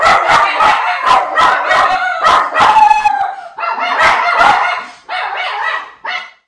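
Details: Miniature Schnauzer brothers excitedly barking at a new delivery driver bringing a package in Aroostook County, Maine; fast, choppy barks run several per second, then ease into a few longer, howling cries before stopping.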